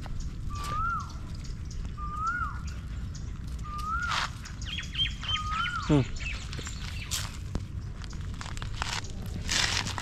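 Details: Stray puppy crying for help while held in someone's arms: short tonal whines that rise then fall, repeated about every one and a half seconds, over steady outdoor background noise with a few faint higher chirps.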